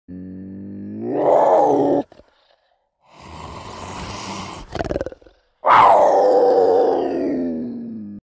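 A cougar gives two drawn-out, wailing harmonic calls, rising then falling, separated by breathy noise.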